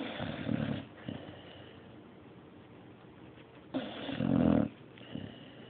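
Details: Mario the dog snoring in sleep: a rasping snore at the start, a quiet pause of several seconds, then a louder buzzy snore about a second long and a short softer breath after.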